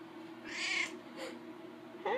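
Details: Pet cat Daisy, talkative house cat, chatting with her owner indoors: a high, thin meow around two-thirds of a second long, a faint second call, then a short rising note at the end, with the owner's soft voice between.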